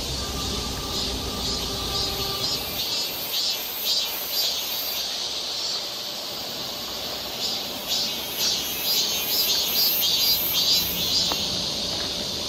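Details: Summer cicada chorus on a forest trail in Seoul, Korea: a shrill continuous buzz, pulsing roughly twice a second, with a faint low steady hum during the first few seconds.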